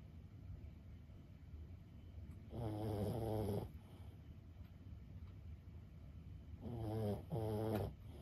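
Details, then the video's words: Snoring from Lulu, a 15-year-old Boston Terrier asleep indoors: two deep, buzzy snores about four seconds apart, the second broken into a double breath, over a quiet room. "シニア犬15歳 作業のお供に最高のBGMはいかがですか？ブヒブヒ【Boston Terrier Lulu】"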